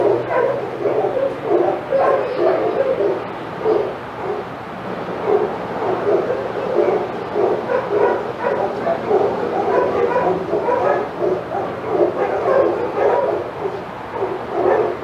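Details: Chorus of senior dogs barking nonstop in the outside yard of Old Friends Senior Dog Sanctuary while Titus passes; many voices overlap in rapid barks and higher yips for fifteen seconds, a low hum beneath.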